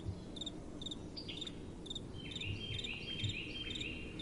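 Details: Night crickets in soft wind: paired high chirps at first, then a series of short rising slurred notes repeated about every half second, above a constant low windy hiss with a few soft thumps.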